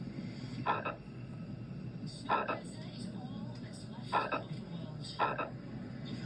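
A frog gives short, rasping double-pulsed croaks at uneven intervals of one to two seconds.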